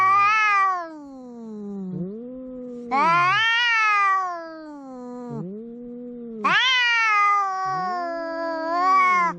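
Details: Two pet cats at home quarrelling in a tense face-off: three loud, strained yowls about every three and a half seconds, each separated by lower, rising-and-falling moans from the other cat.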